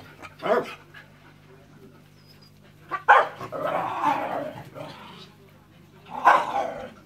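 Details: Three separate barks, each several seconds apart, from dogs Enzo and Ozzy, with human speech overlapping and steady low hum underneath.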